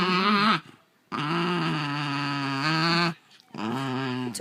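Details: Basenji growling indoors during a tense standoff as one of two dogs tries to claim a toy the other holds; low, steady harmonic growls in three drawn-out bouts separated by short silences.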